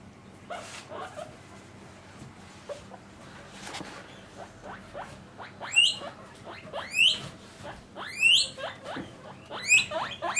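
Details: Caged pet guinea pigs, a parent and young housed separately by sex, start with soft squeaks and build to sharp rising whistled wheeks repeated about once per second.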